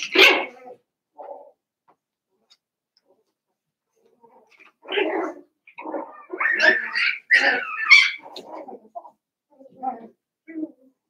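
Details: Seven-week-old Cavalier King Charles Spaniel puppies from Daisy's litter in an indoor home puppy pen: scattered short whines and sharp high yelps, clustering in a quick run of rising cries midway, with quiet gaps between bursts.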